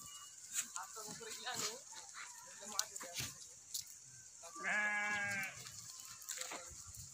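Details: Goats kept for sale at a goat farm in Aurangabad, Maharashtra, India; one wavering, nasal bleat of about a second near the end, amid people talking and steady background noise.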